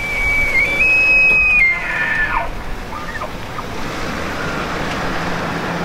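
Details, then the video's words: A clear elk bugle: a piercing high whistle held steadily for almost two seconds with a slight step upward, then fading into softer tonal traces against a constant background hiss. "Elk Bugling"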